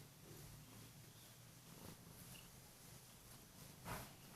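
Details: Kurilian Bobtail cat purring on the bed to rouse its owner in the morning, a low even rumble under faint room noise, with a short rustling burst near the end.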